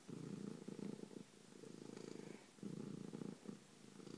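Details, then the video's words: Bronco, a pet cat, purrs loudly in a steady low rumble, with three pulsing bursts split by short breath breaks. "Bronco Kitty loves to Purr and man is he loud!"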